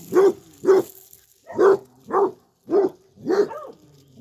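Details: Rosie the basset hound, a female, undoing a filled-in hole by digging: six deep, rough barks in pairs with short gaps, the last one trailing into a brief whine.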